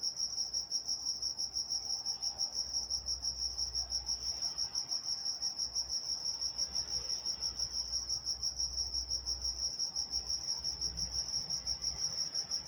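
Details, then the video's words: A night chorus of crickets in Walnut, California, rapid regular high chirps pulsing around three times a second, unbroken, with faint low background rumble. "Nature Sounds Night Time Crickets in Walnut, California"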